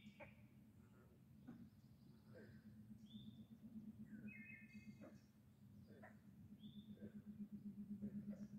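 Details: Frogs at Sevenoaks, Madison, Virginia, give a low, steady pulsing trill while birds chirp and whistle overhead.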